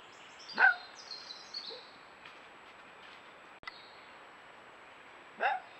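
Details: Red fox giving two short, harsh bark-like calls with rich harmonics, one near the start and one near the end, separated by several seconds of quiet with faint high chirping in the background.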